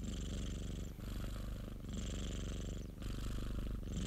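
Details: Popo, a pet cat, purring steadily: a dense low throbbing drone in long breath cycles of about one to one and a half seconds, with a gentle breathy hiss above.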